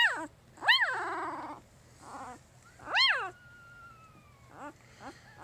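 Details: Male puppy, number four of Jig's litter at three days old, lets out loud, piercing rising-falling squeals, two long strong cries with softer whimpers between and a drawn-out falling whine.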